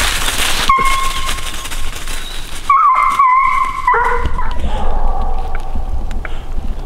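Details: Female coonhound on a coon hunt, about 450 away, letting out a locate: a long, steady, drawn-out howling bawl, repeated, over loud broadband hiss.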